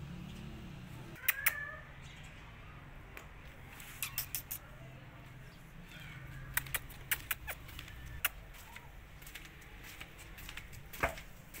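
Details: Rescued kittens frightened of a giant rabbit let out brief, high, rising meows, one early and a softer one midway, amid scattered sharp taps and clicks over a low background hum.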